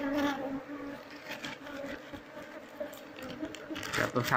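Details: Disturbed Apis cerana colony in the wild, a dense continuous humming buzz with a wavering low tone and a brighter overtone, some rustling from the harvest underneath.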